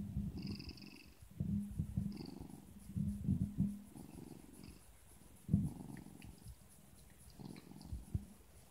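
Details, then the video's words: Sean, a pet Siamese cat, answering its owner with its cute 'No': a string of low, gravelly grumbles and short throaty rumbles, several clustered early, then a single stronger call and softer trailing mutters in a quiet room. "Siamese cat Sean's cute "No" シャム猫ショーンのかわいい「ノー！」"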